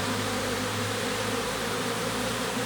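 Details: Western honey bees buzzing at a beehive during a beekeeper's visit to hives with supers of maturing honey: a steady, low, even hum with no breaks, under a broad airy hiss.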